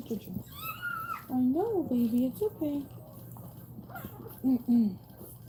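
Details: Cane Corso crying while another dog is in labour: a high thin whistled cry at first, then wavering, bending whines that rise and fall in pitch, coming in short bursts, with a person talking and an indoor hum behind.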